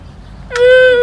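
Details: Young camel calf, known in Arabic as saqb, ha'il or huwar, calling after being rejected by its mother. The cry is sad-sounding and comes late in the clip: a loud, steady, harmonic, nasal bellow with a quiet background.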